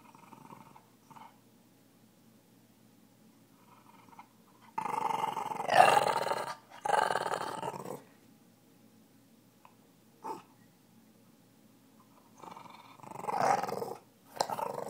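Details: A Boston terrier indoors, described as the toughest in the West, growling in play while urged on: low rough growls swell into several loud, noisy bursts lasting a few seconds each, with quieter gaps between.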